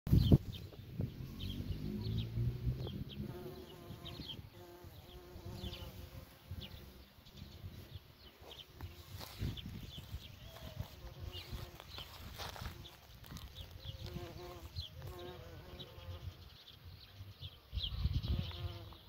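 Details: Bumblebee at work, its low droning buzz with steady harmonics swelling and fading as it moves, loudest at the start and end, while birds chirp and trill in the background.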